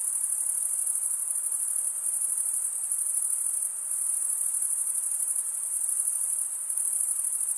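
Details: Male crickets chirping through stridulation, wing against toothed wing vein; a relentless piercing trill continues without pause, its loudness dipping briefly a few times, over a soft background hiss.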